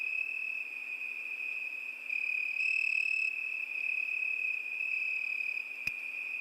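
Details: A cricket trills continuously at one shrill pitch, the tone brightening briefly midway; a single sharp click sounds near the end.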